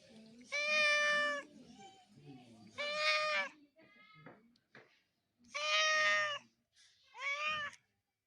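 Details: Real cats meowing loudly: four long, bright, harmonic meows, two early and two late, separated by quiet gaps with a few soft chirps and low indoor murmur.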